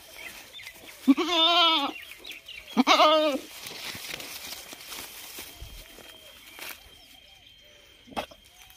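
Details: A goat, usually kept by a cooler and taken to a field today where it seems unsettled, gives two wavering, nasal bleats, each about a second long, with quiet background noise between.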